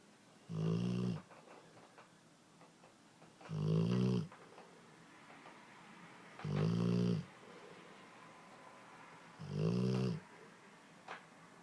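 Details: Sleeping Dogue de Bordeaux snoring indoors: four deep, rumbling snores spaced about three seconds apart, each roughly half a second long with a low droning core, quiet room between breaths.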